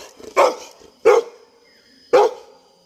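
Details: A Labrador Retriever barks three times in a slow series, each bark short and forceful, roughly a second apart, with quiet pauses between.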